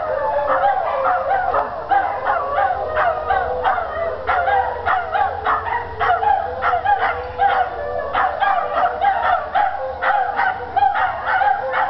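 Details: A neighbourhood chorus of dogs singing together across adjoining yards, including three dogs from one home; sustained wavering howls run under a dense stream of quick yips and barks repeated throughout.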